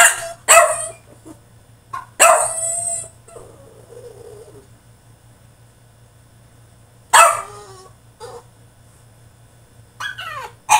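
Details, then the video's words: French Bulldog shut in his cage throwing a tantrum: sharp high barks and a long quavering yelp, a soft whimper, then more barks after a quiet stretch, over a faint steady hum. "FRENCH BULLDOG THROWS TANTRUM IN HIS CAGE!!"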